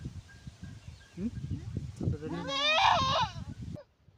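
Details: Goat in labour, giving birth: a few short rising cries, then one loud, trembling, quavering bleat of about a second, with soft human voices and rustling cloth close by.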